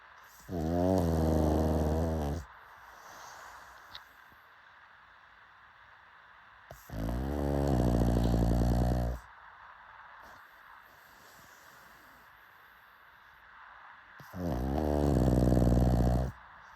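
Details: Pug snoring, with three long, deep, rattling harmonic snores of about two seconds each, spaced roughly six to seven seconds apart, and quiet breathing between them.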